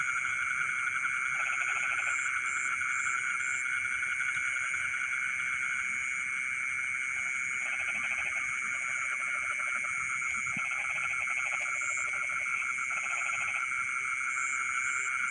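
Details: Midnight frog chorus in rice fields: scattered bouts of rapid pulsed croaking come and go irregularly, with gaps of several seconds, beneath a continuous high insect-like whine and occasional short high buzzing notes.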